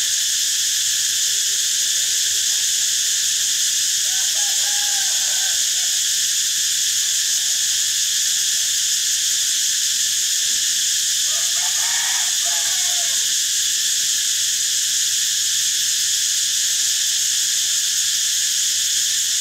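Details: Cicada song filling the whole span as an even, piercing, high drone; faint lower chirping calls from another animal surface briefly around the fifth and twelfth seconds beneath the constant buzz.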